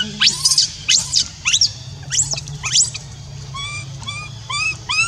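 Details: Orphan monkey Rainbow left on her own keeps crying for Libby: piercing upswept screams followed by several tonal, arched whimpering notes, low constant hum behind.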